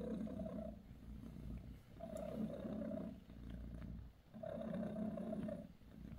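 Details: Bassy, a British Shorthair mother cat, purrs while giving her kittens a massage; a low, rumbling purr swells in three long breaths, roughly every two seconds, with brief quieter gaps between them.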